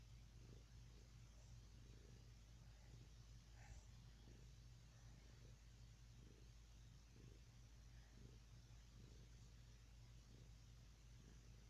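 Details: Domestic cat named Annie purring while being petted on a lap indoors; a steady low rumbling purr with soft pulses roughly every half second, a brief rustle near the middle, no voices.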